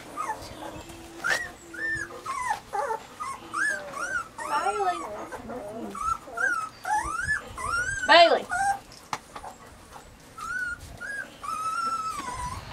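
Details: Three young Weimaraner puppies in summer give a string of high, bending whines that rise and fall, some long and wavering, with brief louder squeals and low growly undertones mixed in.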